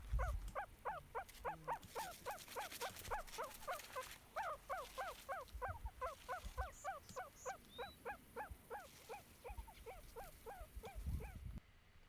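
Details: Meerkats that are used to human presence give rapid, repeated squeaky chirps, contact calls that let foragers know where each other are.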